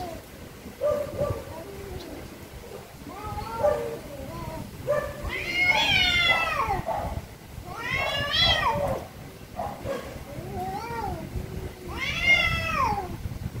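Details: Cat; angry meowing; expressing anger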